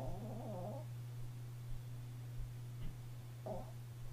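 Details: Sleeping pet Chihuahua snoring: a wavering, harmonic breath lasting under a second opens the clip, and a shorter snort follows near the end, all over a steady low electrical hum.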